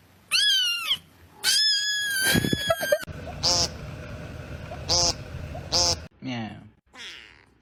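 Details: Domestic cat meowing indoors: a drawn-out arched meow, then a longer wavering one, followed by several short clipped meows and two softer trailing calls, with some background noise and possible voices between calls.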